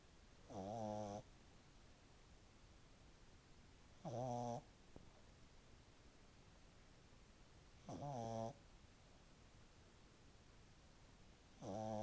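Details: French bulldog puppy snoring loudly while asleep after ten minutes of play: rattling, buzzy snores of about half a second, repeated roughly every four seconds, four in all, quiet room between.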